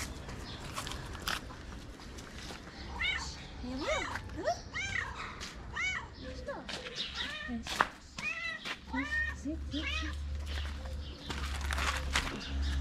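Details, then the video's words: Homeless kitten in Morocco calling for its mother, who returns on hearing it: a rapid series of high, arched meows, each rising then falling, repeated about twice a second, with a man speaking Arabic and low street hum. "Mama the cat who was looking for food came when she heard her kitten meow."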